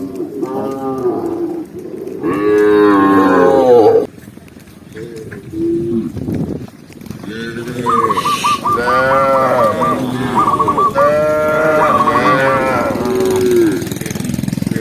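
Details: Tame cattle herd walking calmly through a lush forest trail; repeated loud moos, a long bellow early on, then dense overlapping lowing with a rapid pulsed call near the end.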